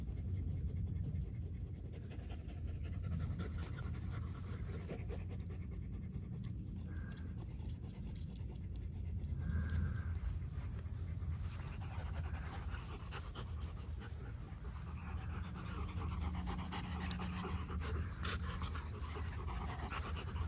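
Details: German Shepherd dog panting steadily at a brisk pace, about four breaths per second, over a low rumble, broken by two short higher tonal sounds midway.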